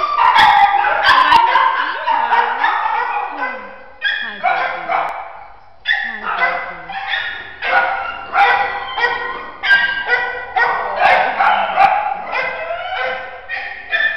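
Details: Four-year-old terrier mix in a shelter, fearful of people though fine with big dogs, giving a long run of loud, harmonic, yelping barks in bursts roughly every second, some drawn out and whining, with brief gaps between volleys.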